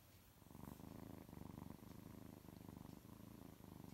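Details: Three orphaned six-week-old kittens, rescued at one day old, purr while falling asleep in a lap indoors; steady low rumbling purr pulsing in a regular rhythm, pausing briefly for breaths, throughout.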